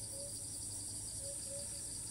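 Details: Cicada in Thailand, perched high in a tree, filmed from afar; it keeps flying to new spots and resumes calling the moment it lands. A steady, shrill, high-pitched buzz with a fast pulsing edge runs throughout over a faint low rumble.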